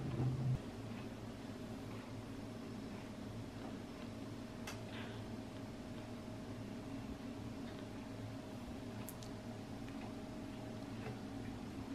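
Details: Steady indoor hum with faint clicks and rustles, and no kitten meows heard.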